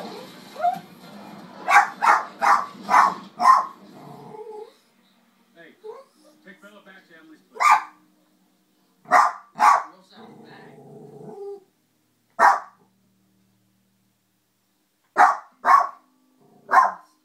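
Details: Millie, a pet dog, barking at wolves on a television showing New Moon: a quick run of five sharp barks, then single and paired barks spaced a few seconds apart, with film dialogue murmuring between them.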